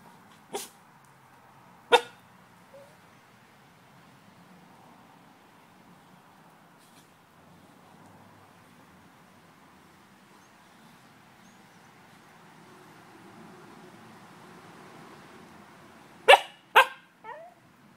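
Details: A corgi playing with another dog gives a few sharp, short barks, two at the start and a quick cluster near the end.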